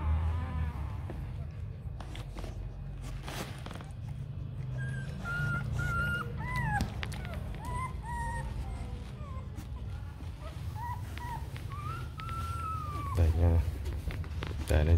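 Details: Week-old Rottweiler puppies of Siro and Loki, a purebred litter starting to toddle; scattered high whines and squeaks, some arching up and down, come through steady low hum and occasional clicks and knocks.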